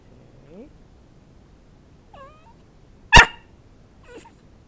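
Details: Pet dog being trained to bark for a piece of chicken held above him: faint whines, then one sharp, loud bark near the three-second mark followed by a soft whimper, in a quiet room.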